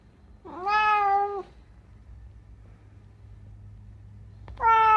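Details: Unagi, a rescued talking cat, in a quiet room, gives two loud, clear, drawn-out meows, each steady and rich in tone and lasting close to a second, separated by about three seconds of near silence.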